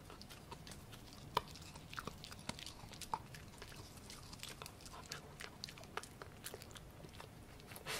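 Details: Gureum the Pomsky, a Husky–Pomeranian cross born 7 December 2018, chewing pork indoors. Soft steady mastication with scattered light crunches and one sharper bite early on, against a faint low room hum.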